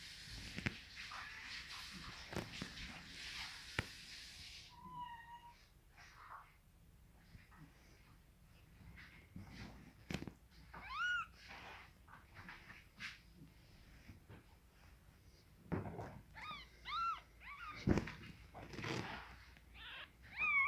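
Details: Young Scottish Fold kittens mew in high, arched squeaks, some rising then falling, in scattered clusters, with a hiss of broadband noise at the start and quiet shuffling between calls.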